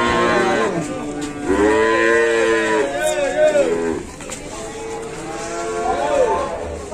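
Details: Cattle at Pasar Pon, a livestock market in Ambarawa, Indonesia, giving drawn-out, wavering moos in two or three long calls, with people talking and market bustle behind.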